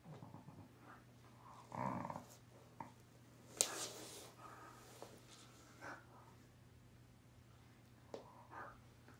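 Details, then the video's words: Thai Bangkaew Dog, a mother teaching her puppy indoors. A short, loud bark or yelp comes near two seconds, with fainter soft vocal bursts and clicks scattered through an otherwise quiet room. "Thai Bangkaew Dog, Mother teaching Puppy."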